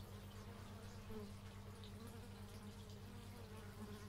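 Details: Bees buzzing outdoors, captured in stereo with an x/y microphone: a low, steady droning hum with a faint pulsing texture and brief wavering tones as individual insects pass close.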